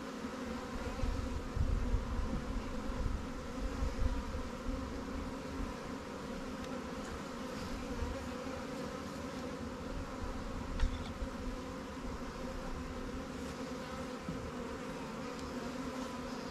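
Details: Honey bees at newly captured swarm hives, Langstroth and Warre, in an apiary while frames are moved in from stronger colonies; a steady low hum with layered drone, swelling slightly in the first seconds, with faint clicks.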